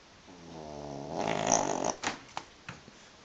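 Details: One rasping snore from a sleeping, twitching pug swells over about a second and a half, harmonic and throaty, then breaks into a few short snorts and clicks.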